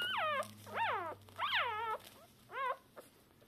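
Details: Newborn Shiba Inu puppies, three hours after birth, deaf and blind, calling for their mother; litter of three. Loud high whining cries, each a rising-then-falling wavering whine with rich harmonics, about four cries with short gaps, faint low hum behind.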